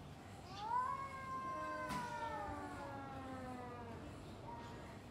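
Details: A domestic cat gives a long, wavering, harmonic yowl that rises then slowly sinks, a drawn-out exchange between two cats before fighting.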